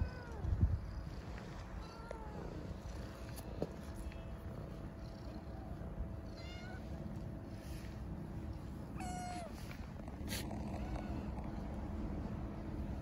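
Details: Homeless street kittens in Istanbul, hungry, calling for food and affection: scattered thin mews throughout, a few stacked and wavering, over constant low city hum and occasional clicks.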